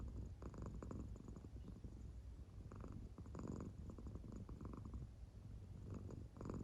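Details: American Shorthair cat Claire, soundly asleep, purring in a steady low rumble broken by soft breathy swells every second or so in time with her breathing belly.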